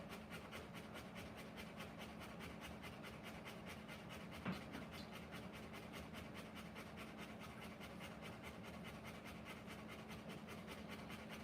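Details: A Rottweiler pants hard during the live birth of her puppies. The fast, regular, airy in-and-out breaths continue without pause, with a single faint click midway and a steady low hum beneath.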